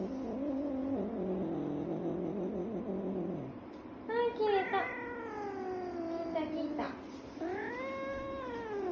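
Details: Scottish Fold cat protesting after a nail trim: low grumbling murmur at first, then two sharp whining yowls, then a long arched meow that rises and falls near the end.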